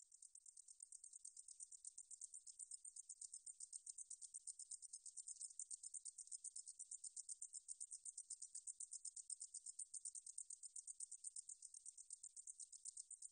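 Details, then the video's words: High, sizzling insect song of the meadow katydid 등줄어리쌕쌔기, recorded in 2020 by the National Institute of Biological Resources. Short buzzy pulses repeat rapidly and evenly, swelling slightly louder after the opening seconds, over a silent background. "등줄어리쌕쌔기, 여러번 듣기, 곤충소리"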